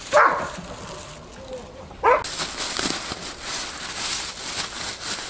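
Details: Eight-week-old Belgian Malinois puppies playing in snow: two short, high, whining yelps, one at the start and one near two seconds, followed by steady broadband crunching and rustling from the play in the snow.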